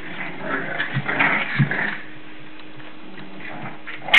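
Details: Seven-week-old English Bulldog puppies playing indoors give short whimpers and snuffly grunts, then fall quiet before a sharp yip at the end.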